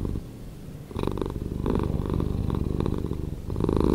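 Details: Domestic cat purring, slowed down, a deep continuous low rumble with pulsing texture and brief louder bursts near one, one and three-quarter and three and a half seconds, recorded indoors.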